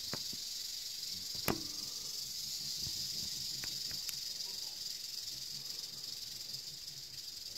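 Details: Eastern diamondback rattlesnake (Crotalus adamanteus) producing a constant, high, hissing rattle throughout, overlaid by scattered sharp clicks and one loud knock early on.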